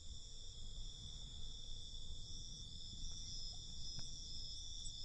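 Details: Nighttime cricket chorus, thin sustained high-pitched trilling in stacked bands, steady for five seconds, with a constant low rumble beneath and a couple of faint ticks.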